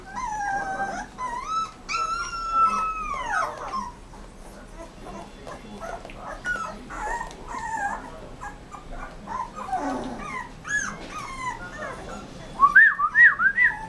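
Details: Rottweiler puppy whimpering: long, high, tonal whines that slide downward in the first seconds, then softer broken whimpers, ending in a burst of quick, rising and falling yelping whines.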